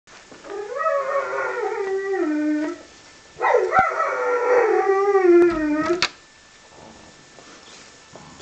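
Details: A Golden Retriever "sings" in the bathtub after a bath, giving two long, drawn-out howls, each starting high and sliding down in pitch.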